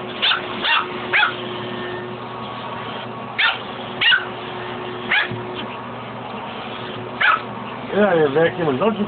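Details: Pet dog Fuzzy barks intermittently while battling the shop vac hose, several sharp barks over a humming motor, ending with a human voice speaking.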